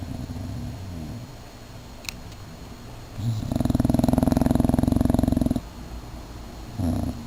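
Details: English Bulldog snoring: a rattling, pulsed snore builds after a few quiet breaths and lasts about two seconds, then fades. A shorter rasping snore follows near the end, with soft low breathing noise between.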